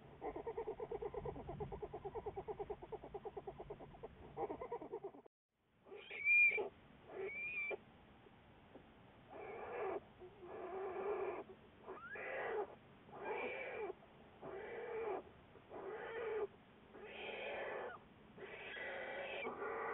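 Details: American black bear Juliet, February 10, 2014, a Wildlife Research Institute research bear: a throbbing harmonic drone gives way after a pause to a series of separate, wavering, cat-like cries of rising and falling pitch, each about a second long.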